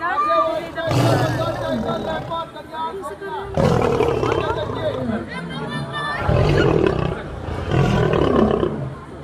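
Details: Aggressive lion at a zoo in Delhi; several loud, rough, low roaring bursts a few seconds apart, mixed with human voices and crowd chatter throughout.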